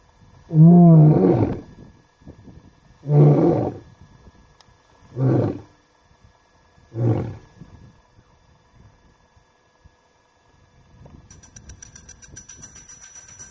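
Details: Lion roaring near the Talek gate in Masai Mara, Kenya, before sunset, possibly ahead of a night hunt; one long deep moan followed by three shorter, lower grunting roars fading in loudness, then quiet with a faint high hiss.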